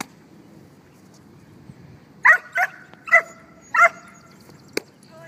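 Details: Archer vom Grauen Wolf, a six-month-old dog called Archie, doing bite work training: four sharp, harmonic barks in quick succession about halfway through, separated by short gaps, over a low steady background.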